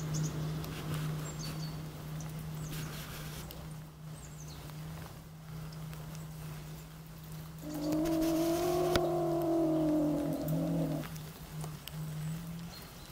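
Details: Beech marten caught in a trap giving a drawn-out, low, harmonic growling whine of about three seconds in the second half, over a steady mechanical hum.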